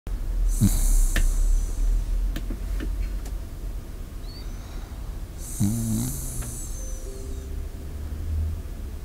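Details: A Shiba Inu asleep with a microphone set before it: two long, airy breaths about five seconds apart, each with a soft low snore-like rumble underneath, over steady low background hum.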